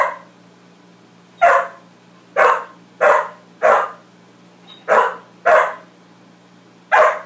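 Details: Repeated barking from Max, a dog confronting his reflection: eight loud, abrupt barks spaced roughly half a second to a second apart, fairly even in strength, over a constant low hum.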